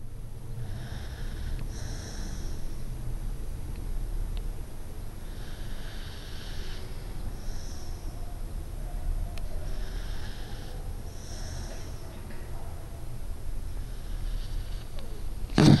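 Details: Pingo, a pet dog, snores while sleeping: low rumbling breaths in slow pairs, roughly every four seconds, with a faint higher hiss over each exhale and a steady background hum.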